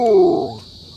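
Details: Hunter, a talkative Belgian-Labrador dog, gives one loud tonal whine that slides steadily downward for under half a second, then fades out, leaving a faint steady high hum.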